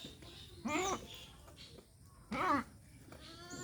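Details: Two short nasal bleats about 1.7 seconds apart from castrated male goats kept in Mahilara village, Gournadi, Barisal, Bangladesh; each quavering cry lasts roughly a third of a second against low indoor background noise.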